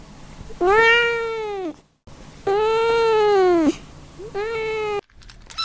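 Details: Newborn baby kittens meowing: three long, steady, tonal meows in quick succession, the middle one the longest, each rich in overtones and ending abruptly, with faint room noise between them.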